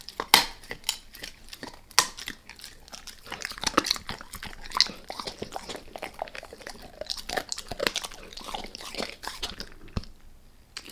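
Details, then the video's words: Max the dog gnawing a beef rib in a small room, sharp loud crunches and cracking bites scattered through steady wet chewing, no voices. "Max Eats | Beef Rib | ASMR DOG EATING"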